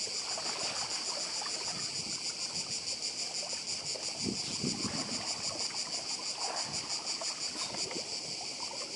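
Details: Continuous whirring cicada chorus at the seaside on Badija, Croatia, high and rapidly throbbing, with surf swells rising underneath.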